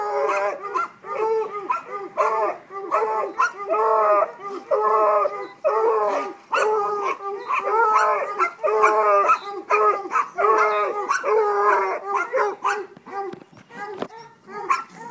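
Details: Five-month-old Treeing Walker Coonhound pup giving a rapid run of short, ringing bawling barks, about one per second, each with a quick pitch bend, steady and insistent for fifteen seconds, with occasional human voice.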